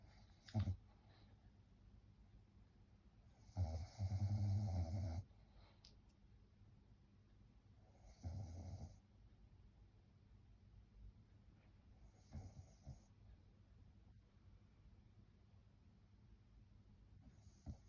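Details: Sleeping French bulldog snoring indoors; deep, low rasping snores in bursts of about one to two seconds, separated by several seconds of quiet breathing.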